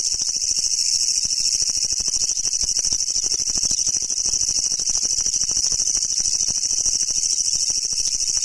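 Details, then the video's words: Kutsuwamushi, or Japanese leaf katydid, endemic to Japan and found while searching for brown and green individuals, sings a loud, unbroken, grating rattle of fast, tightly packed pulses, strong and high-pitched, steady throughout. "Leaf Grasshopper Songs!!"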